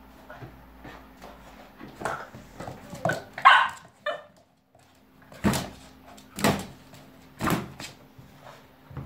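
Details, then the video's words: Cavalier King Charles Spaniel puppy named Max playing with a balloon at home: a loud high bark near the middle, then several evenly spaced sharp barks roughly once a second, with soft rustling between. "YAVRU KÖPEK HAVLAMA SESİ - CAVALİER KİNG CHARLES"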